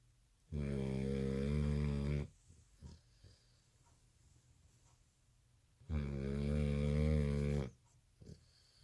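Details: American Bully puppy snoring loudly while asleep at night, exhausted after skipping his afternoon nap; two long, deep, droning snores, each under two seconds and about five seconds apart, with soft breathing and faint clicks between.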